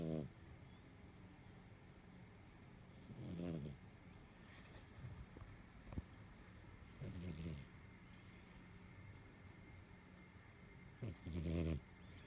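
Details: Domestic cat snoring while asleep: soft, low rasping snores that come in short bursts about every four seconds, separated by quiet breathing.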